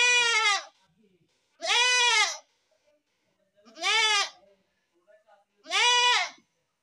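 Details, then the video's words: Goat bleating repeatedly, four strong, shaky, nasal cries each under a second long, coming roughly every two seconds against near silence. "best goat sound in the world | goat sound"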